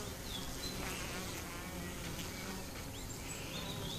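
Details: Continuous low droning hum from many honey bees in a colony with chronic bee paralysis, with brief thin bird chirps at intervals.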